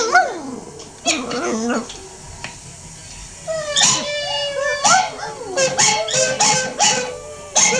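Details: Dog named Shelby responding to a recording of herself howling: short rising and falling yowls and yips in uneven bursts, with quieter gaps between and the playback audible alongside.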